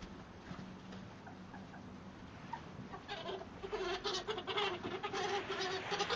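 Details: Ferrets meeting in a shed: young hob Dollar with three older hobs and four jills, introduced on neutral ground for winter; quiet start with soft tones, then loud pulsing harmonic squeals over scuffling in the second half.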